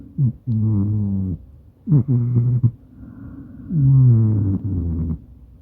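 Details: Deep, loud snoring from Maine Coon Madoka, sleeping with its owner and recorded on a smartphone: three long, buzzing, tonal breaths with downward-sliding onsets, separated by brief pauses.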